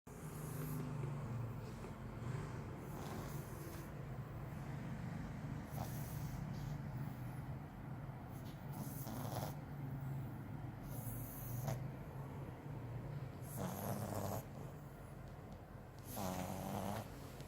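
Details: Milo, a French Bulldog, snoring while asleep: steady low rumbling drone throughout, broken every few seconds by louder, breathy snorting bursts.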